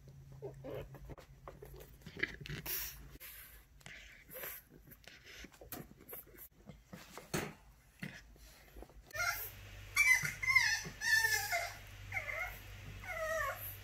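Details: French Bulldog puppy shut in his cage, trying to unlatch the cage door; scattered clicks and rattles, then a run of high, wavering whines that rise and fall in short bursts, several in quick succession near the end.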